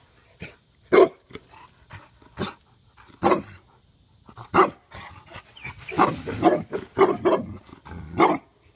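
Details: Six-month-old female Tosa Inu giving short, sharp, fairly deep barks in irregular bursts, single barks spaced a second or more apart, then a quicker run of several barks near the end mixed with a brief noisy rustle.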